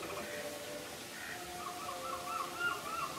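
A male capybara gives a drawn-out, reedy cry that breaks into quick, trembling whistled wavers near the end, over a low steady background hum.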